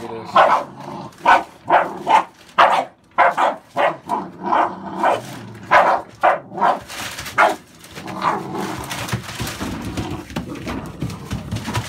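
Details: Barking from an American Staffordshire Bully, a breed kept with papers and family tree, puppies born November 2017: about a dozen deep, punchy barks in steady succession over eight seconds, followed by muffled background noise and faint voices.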